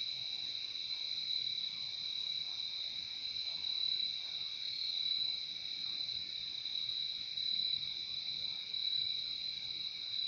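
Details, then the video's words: Crickets in a dense, unbroken chorus: a steady high shimmering trill layered in two bands, holding without pause across the whole stretch, with only faint low background hiss beneath. "Relaxing sound of crickets"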